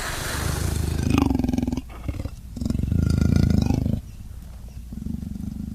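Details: Leopard (Panthera pardus) calling with deep, rasping grunts in rough bursts, each lasting a second or more.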